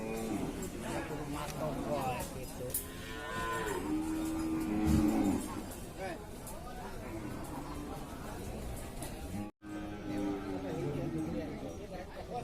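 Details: Cattle at a livestock market in Ciwareng, Purwakarta, Indonesia: several drawn-out moos rise and fall amid a crowded, noisy scene, with people talking and a brief burst of music.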